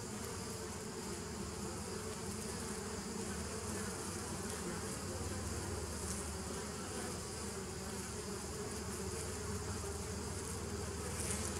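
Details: Long even drone of bees on 27 September 2018: layered low humming bands beneath a broad hiss, with a deeper hum rising in the middle and faint clicks near the end, loudness steady throughout.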